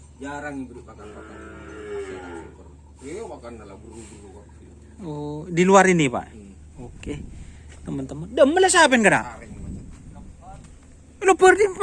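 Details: Cattle being sought as breeding stock for karapan sapi bull racing on Sapudi Island, Indonesia; several deep, harmonic moos rise and fall in arches, mixed with men talking and background murmur.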